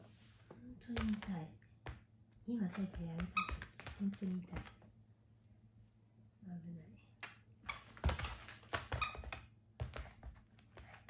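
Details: A Mame Shiba puppy resisting having its nails trimmed gives short, low, wavering whines and grumbles in separate bursts. Indoors, with clicks, thumps and handling noises between the bursts.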